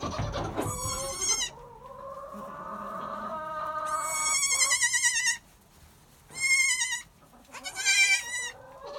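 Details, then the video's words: Newborn Nigerian Dwarf goats, a pair of kids (brother and sister) about an hour old, born in July at 2 and 3 lb. They give shrill, quavering bleats in repeated bursts about two seconds apart, with longer, lower bleats in between. "The Adorable Sound Of Newborn Nigerian Dwarfs"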